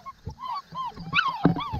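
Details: Seven-week-old AKC purebred Saint Bernard puppies at GT Christmas Tree Farm whimper while being fed and their water bowls rinsed, high wavering whines rising and falling near one pitch, mixed with a person's encouraging voice and bowl clatter.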